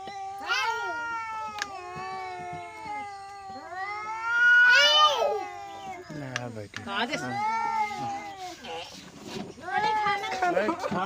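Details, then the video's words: Angry cat in a village uttering repeated loud yowling meows, each rising then falling, with rough growly moments between calls; people talk in Hindi nearby. "Angry Cat Sound Effects | Cats Meowing"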